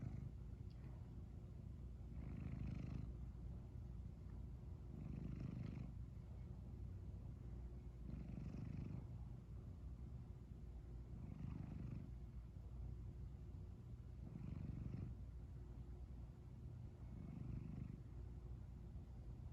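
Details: Sleepy house cat, just woken yet still purring, gives a continuous low rumble that rises in six regular breath-timed swells, each topped by a light raspy hiss.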